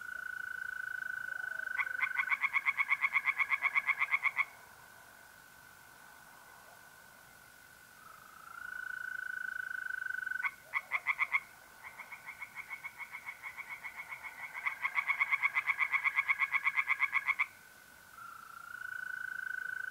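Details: Mid-April night at a pond in north-eastern Italy: tree frogs break into fast, rhythmic croaking bouts between quiet gaps, and mole crickets trill continuously, their smooth, high tone rising and fading.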